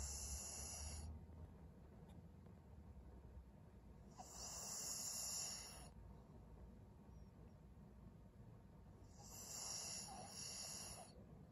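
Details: Maria, a 12-year-old fawn female senior pug in Japan, recorded in February 2023, breathing in her sleep; hissy, raspy snores come in slow waves roughly every five seconds, separated by quiet pauses.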